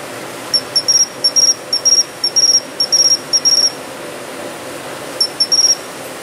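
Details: A Japanese pine cricket singing from a planted shrub bed in early autumn (September to October), high, bell-like chirps in quick clusters of two or three notes.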